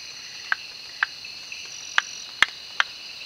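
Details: Malabar gliding frog, Rhacophorus malabaricus, in the Western Ghats during the monsoon: five short, clipped knocking notes about half a second apart, set against a steady high insect chorus.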